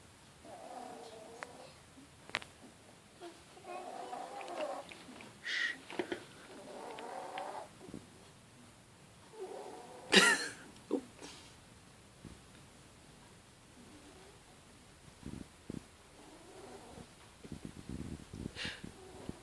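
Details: A 10-week-old Bichon Frise x Jack Tzu puppy sleeps in her favourite spot under a table, snoring softly with gentle, uneven, breathy rasps.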